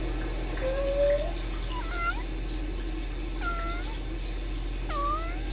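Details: Kittens Sisko and Mila on a Tiny Kittens Society live cam, trilling and talking to each other: four short rising-then-falling chirps, the first a flat held note, spaced about a second apart over a steady indoor hum.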